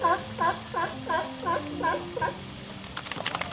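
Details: A captive, trained California sea lion barks on cue in a quick run of about seven harsh, honking barks, roughly three per second, followed by a few sharp clicks or claps.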